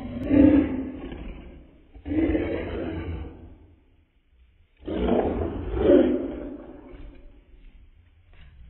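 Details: Angry Morkie growling to keep a puppy away from her: harsh, rumbling snarls in three bursts of about one to two seconds each, the last one longest and rising in intensity, indoors.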